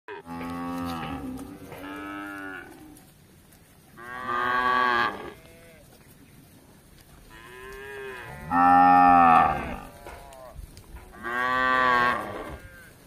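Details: Tame cattle roaming a village in search of grass, lowing in four separate harmonic moos, each about a second long with a rising then falling pitch, set apart by quiet pauses.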